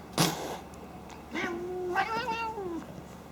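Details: Female house cat snorting during play: a sharp click, then a few nasal, harmonic calls, one drawn out into a level, slightly falling tone lasting over a second, with soft room background.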